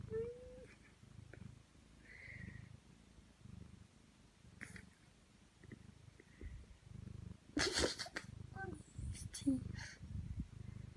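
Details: Domestic cat fast asleep on a bed indoors, snoring with soft, low, rhythmic breaths about every second and a half, broken by brief rustling bursts and a short squeak.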